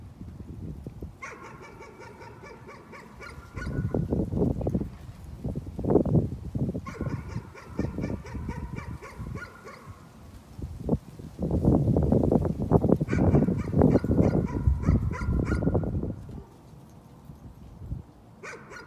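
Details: Nuisance barking from a dog: short runs of rapid, high-pitched barks, partly buried under loud, low rumbling noise that swells twice for several seconds.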